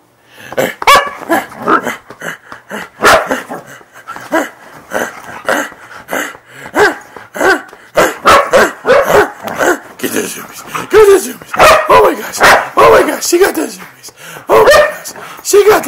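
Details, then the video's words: Siberian Husky tearing around a bed during zoomies, giving rapid, uneven barks, yips and short grumbling calls in a dense burst, with a person's excited voice mixed in. "Siberian Husky Freya Goes Crazy With Zoomies On Bed!"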